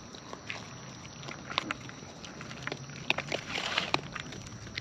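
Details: Wild raccoons eating at close range, their chewing heard as scattered sharp crunchy clicks and snaps, denser toward the end, over a soft steady background hiss.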